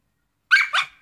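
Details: A Shiba Inu wanting a net lets out two short, sharp yips less than a second apart in a quiet room, the first bright and slightly rising, the second rougher and trailing off.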